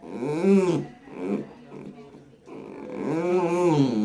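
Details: A blind 19-year-old Dachshund, very vocal and communicating through sounds, gives drawn-out, rising-and-falling howling bursts that rumble like a revving motorcycle.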